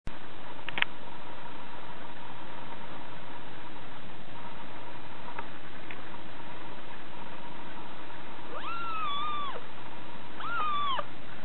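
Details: Six-week-old female Scottish Fold munchkin kitten, kept as a new pet, giving two drawn-out, high, arched meows near the end after a brief earlier chirp, over a steady electrical hum and faint room noise.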